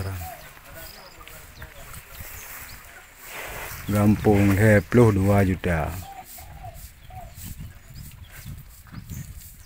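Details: Cow calling its companions: a low, deep harmonic moo broken into several short, wavering pulses over about two seconds, between stretches of quiet outdoor background.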